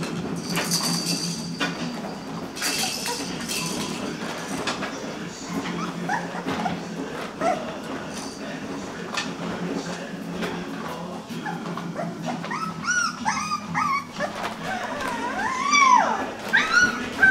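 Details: Puppies almost three weeks old in a litter pan, giving high wavering whines and squeals that rise and fall, growing louder and more frequent toward the end, over rustling and a person's voice.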